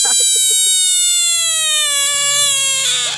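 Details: A screaming frog lets out one long, sustained, rich harmonic wail lasting about three seconds and sliding slowly downward in pitch, preceded by a few short low pulses.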